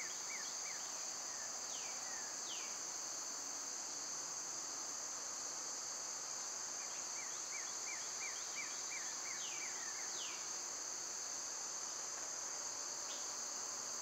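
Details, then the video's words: Cicadas in summer keep up a loud, unbroken high-pitched drone in two steady bands. Birds break in with repeated short downward-slurred chirps and a few longer falling whistles. "Birds & Squirrels w/ Cicada sounds"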